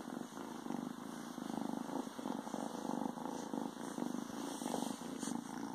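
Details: Young male Ragdoll kitten, recorded a few days after joining a new home, purring while hiding in a pair of pants: soft, steady, low rumbling purr with faint rustling of fabric.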